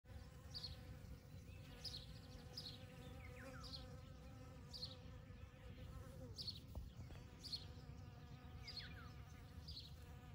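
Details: Bees from a kept colony forage on a poppy field on a May 2022 morning, gathering pollen and nectar with nearly every flower visited; a steady low droning hum with faint overtones, while a bird chirps high notes about every half-second.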